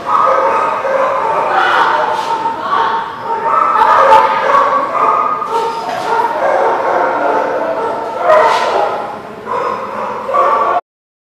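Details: Dogs recorded on December 23, 2019, giving sharp barks and yips that burst out every couple of seconds, mixed with human voices talking throughout.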